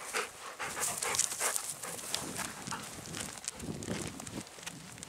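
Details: Golden Retriever on an evening walk through countryside rice fields in spring, white flowers in full bloom; rapid hissing breaths repeat in an uneven rhythm, with soft outdoor rustling underneath.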